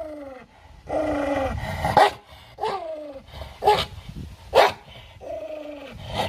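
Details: A dog turned aggressive over food voices drawn-out, downward-sliding growls, with sudden harsh barks cutting between them.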